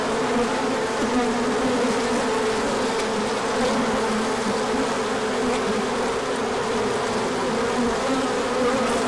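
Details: Many bees swarming in an orientation flight when sunshine returned after a colder spell in March 2024; continuous low droning buzz, layered tones from numerous wings sliding slightly in pitch, no other sounds.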